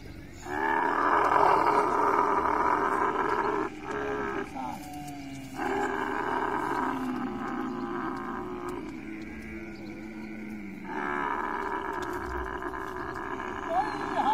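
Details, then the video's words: Camel in a mating encounter, uttering a series of long, rumbling, gurgling roars broken by short pauses, each roar holding steady layered tones for several seconds. "Camel love full video|| mating sounds"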